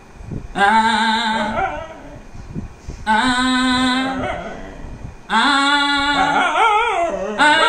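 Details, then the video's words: Dog singing along with its owner at different pitches; three sustained tonal howls of one to two seconds each, separated by short pauses, the last one wavering up and down in pitch. "Dog sings at different pitches along with owner"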